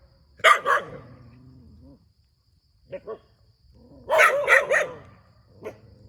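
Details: Dog near a rubber plantation in Thailand barks in scattered groups: a loud double bark, a softer faint pair, then a burst of three and a single later bark, with quiet gaps.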